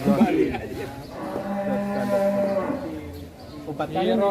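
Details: Cattle giving a long, low, steady moo mixed with chatter and background noise.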